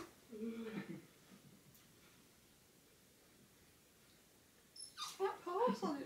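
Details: Jack Russell Terrier watching a grey squirrel, heard in a small room. A few faint tones open over a quiet pause, then a cluster of thin, wavering whimpers rises near the end.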